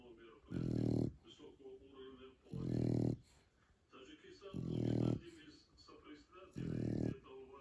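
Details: A Shar Pei asleep, giving four loud, deep, grating snores at steady intervals of about two seconds, each followed by a softer, wheezy exhale.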